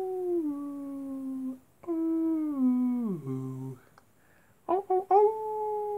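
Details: Wolves at night: a long howl drops at its end, and then a second howl glides steadily down to a deep, growly low note, followed by a few quick rising yips and a renewed steady tone.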